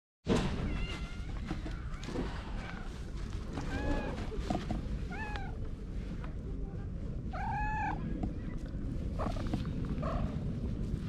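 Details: Park cat meowing while purring, its voice turning into a 'goro-nyan', filmed on a GoPro HERO8; a run of short arched meows comes every one to two seconds over a steady low rumble of purring and outdoor noise.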